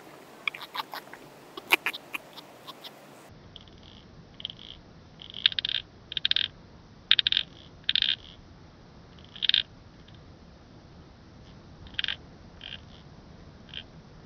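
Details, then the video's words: Calliptamus barbarus, the Eurasian pincer grasshopper, recorded at Haut Asco, France, on 24 August 2023: brief dry ticks, then a run of short rasping pulse groups spaced irregularly one to two seconds apart over faint hiss. "Calliptamus barbarus -- Costas Schönschrecke -- Eurasian Pincer Grasshopper"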